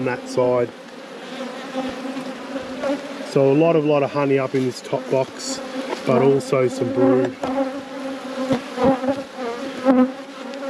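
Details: Honey bees humming during an inspection of a whole apiary at peak production: a steady low droning buzz with rich overtones throughout, while a person talks over it in the middle and again briefly near the end.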